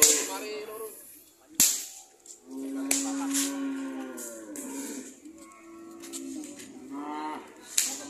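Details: Cows offered for sale give a drawn-out, low, droning moo with rich harmonics lasting about two seconds, followed by shorter wavering lows, with sharp clicks and knocks and some background chatter.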